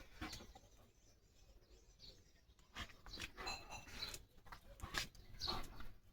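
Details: A German Shepherd makes short, whining vocal calls to summon its owner, outdoors in the rain, while a person talks nearby.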